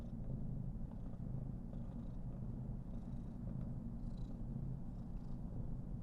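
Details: Female Somali cat Karen, born 19 November 2021, purrs as she is stroked and ruffled, looking blissful; a deep, even, unbroken rumble with gentle rhythmic pulsing, plus light brushing and rustling noises.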